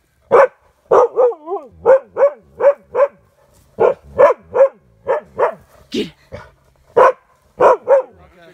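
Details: Blue, a white bi-eyed Siberian Husky on his first elk hunting and camping trip, unsure about an elk head: loud, harmonic barks and woofs in quick bursts, about eighteen in eight seconds, with a wavering howl-like yodel near the start.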